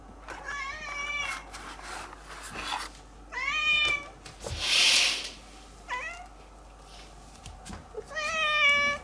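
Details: Spring in a garden where two cats dash about: several meows, some short and rising, others longer and wavering, mixed with rustling, thumps and a brief hiss of noise midway.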